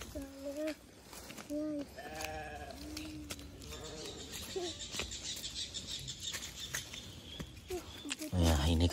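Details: Sheep kept in a family garden near village houses, bleating in short, quavering, mid-pitched calls, about four within the first few seconds, mixed with a person talking, background music and a final loud rustle.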